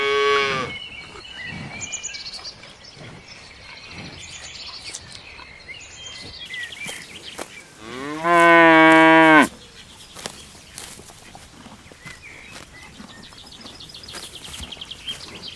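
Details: Big, strong cows in a lush green meadow. A loud, full, harmonic moo sounds in the middle, after the tail of another moo at the start. Scattered knocks and background bird calls fill the rest.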